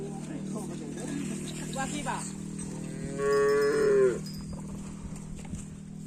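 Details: Karapan sapi racing bull, filmed while preparing for an event on the 12th, lets out one short, loud moo about a second long over a steady low hum and faint talk.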